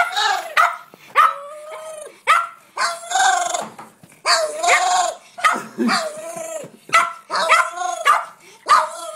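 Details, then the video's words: Pet dog at feeding time, eager high yelps and squeaky barks in quick irregular bursts, several drawn into whiny, bending notes, with short pauses between. "Weird dog noises"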